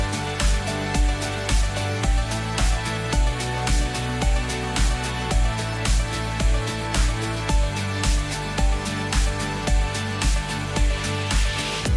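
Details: Upbeat electronic background music with a regular pounding beat throughout, and no animal sound.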